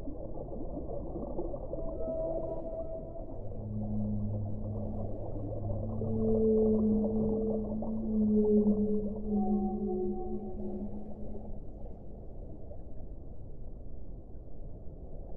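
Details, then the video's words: A whale strings together sustained moans, a deep low note under a brighter one, followed by several short higher tones stepping downward, all over steady rushing background noise. "1 ora di suono delle balene"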